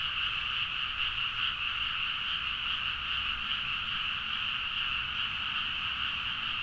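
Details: Massed frogs calling late at night from rice fields in Nagaoka, Niigata, Japan, captured with a Zoom H4n; an unbroken wall of overlapping rapid croaks and trills, steady in loudness throughout, with faint low rumble beneath.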